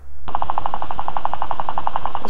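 A guinea pig chatters its teeth in a rapid, even train of dry clicks, a sign of anger.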